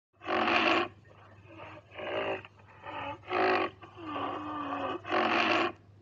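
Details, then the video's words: Rhinoceros vocalizing: repeated harsh, broad bursts of about half a second with rising-and-falling tonal bands, several calls over six seconds separated by quieter breathy gaps, steady low hum underneath. "Rhino vocalization! Gainday ke awaz"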